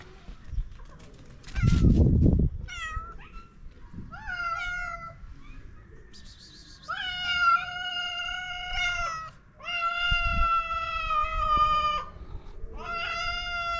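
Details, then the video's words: Stray cats in Morocco meowing to ask for food: long harmonic meows, several drawn out over a second or more, some overlapping, with a short low thump near the start. "Stray cats ask us for food with cute meows."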